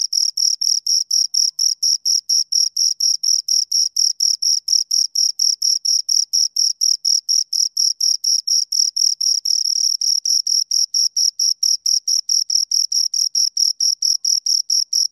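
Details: A pair of crickets keeps up a long, unbroken train of sharp, high chirps at roughly four a second. The rhythm stays steady and even throughout, with a silent background.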